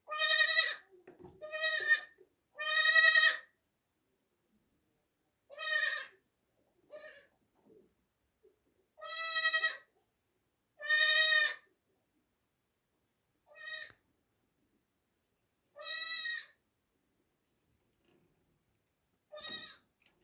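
A newborn goat kid gives a series of high-pitched, nasal bleats, each about half a second long with a slight waver. The cries come at irregular intervals of one to three seconds against a quiet background.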